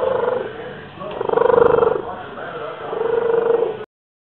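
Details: Pet male cat purring loudly in a pigeon-like way: two strong, rapidly pulsing bouts with a steady humming tone, separated by a quieter breath, then sudden silence.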